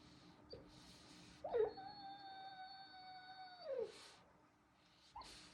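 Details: Pet dog making funny noises while dreaming in its sleep; a drawn-out, steady, tonal whining howl lasts about two seconds, opening with a brief rising yelp and ending in a falling slur, with a few faint soft huffs before and after.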